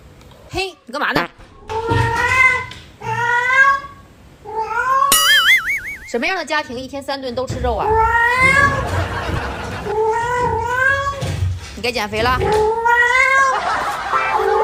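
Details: Indoor pet cat Yuanbao keeps meowing early in the morning, wanting more food after eating and answering back when scolded. Repeated short rising-falling meows come in quick succession, with a warbling sound and voices mixed in.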